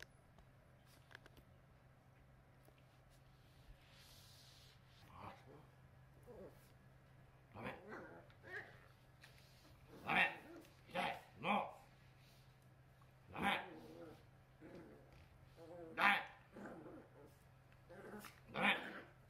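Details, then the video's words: Tanba, a male black-and-tan Miniature Pinscher puppy born November 2020, indoors in the morning, angrily resisting having his face touched while eye discharge is wiped away: short grumbling vocal bursts, sparse at first, then louder and closer together in the second half, over a steady low hum. "お怒りモードの朝 Angry morning"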